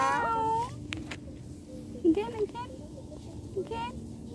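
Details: Domestic cat meowing, its distress tied to separation from its owner: a drawn-out, wavering high meow opens, soft low murmurs and faint voices follow, then a shorter, clear meow near the end.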